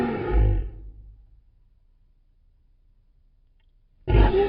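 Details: Lion roaring to mark territory and keep in touch with the pride: a deep, powerful burst fading over about a second, then near silence before a second loud roar cuts in at the end.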